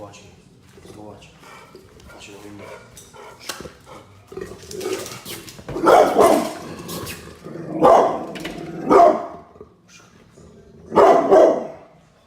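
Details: A pit bull barks loudly and angrily, several deep barks spaced a second or two apart, over a low background murmur.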